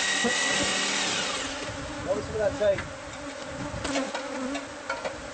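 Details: Hive bees living inside house walls, being removed: a brief burst of hissing noise fades into a continuous low buzzing drone with wavering tones and a few clicks.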